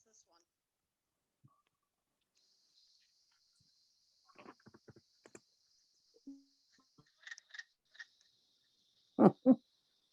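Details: In spring, a wood frog in Maine gives its duck-like quacking call: short, hoarse clucks in a few quick bursts amid quiet talk. Wood frogs call from woodland pools, vernal pools and streamsides.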